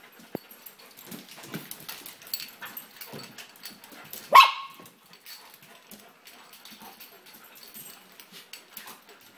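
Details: Two dogs, Mongsoon and Drake, playing excitedly together indoors at a home dog-sitting stay in Jerusalem; a single sharp loud bark near the middle stands out among soft scuffling, snuffling and quick panting-like breaths.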